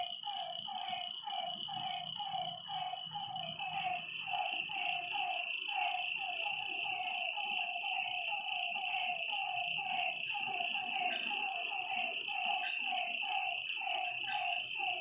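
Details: Lakeside frogs at night call in a dense chorus of clipped, descending notes repeating quickly, while a continuous shrill insect drone runs underneath and soft low rustling comes and goes.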